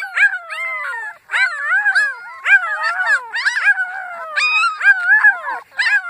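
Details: Annie's puppies howling: repeated short rising-then-falling wails from several pups, overlapping high voices with little pauses between bursts.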